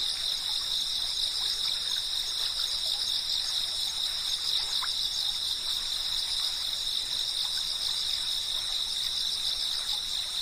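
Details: Cicadas chirping in a dense, unbroken chorus of steady high shrill bands layered at several pitches, with no pauses across the whole stretch, over a faint soft rushing background and occasional brief ticks.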